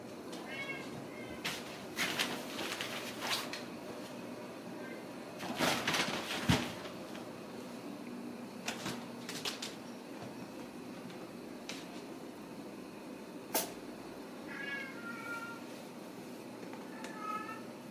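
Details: Ragdoll kittens raised indoors without cages at a home cattery in central Kansas; a few thin, high meows near the start and end, half-buried under frequent clattering knocks and handling noises.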